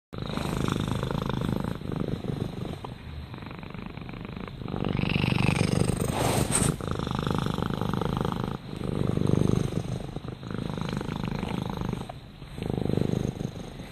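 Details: Rama, a domestic cat, purring steadily: a low, rough rumble pulsing about 214 times a minute, swelling in waves between brief breath pauses, with a short brighter rustle near the middle.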